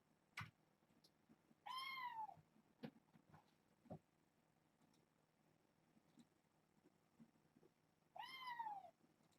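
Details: Kitten from a litter of seven born June 21st to Nala Se, a rescued stray at Purrfect Pals, indoors playing with a microfiber towel; two loud, drawn-out meows that rise then fall, about six seconds apart, amid soft knocks and scuffling.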